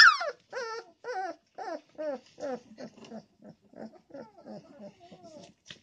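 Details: Young puppy protesting after its mother sits in its sleeping spot; a loud squeal opens a run of rapid, regularly spaced whining yelps that gradually soften into quieter, fading whimpers.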